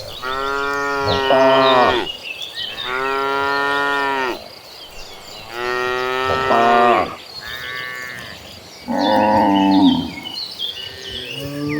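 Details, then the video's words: A herd of dozens of tame cattle moving toward farm pasture, giving long loud moos in close succession, roughly every two seconds, some overlapping, with birds chirping in the background. "suara sapi lembu jinak"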